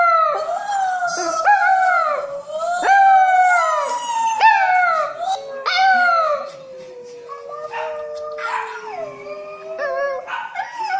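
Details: Howling French poodle puppy reacting to videos; a rapid series of short falling howls about every second and a half, then a long low steady wail that slowly drops in pitch, with faint background sounds.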